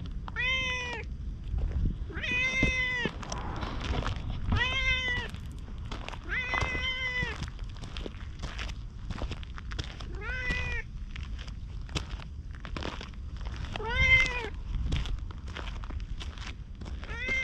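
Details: Orange tabby stray cat meowing persistently while following after a little petting, GoPro recording outdoors; about eight harmonic meows at roughly two-second intervals, each rising then dropping, over steady low rumble and footsteps.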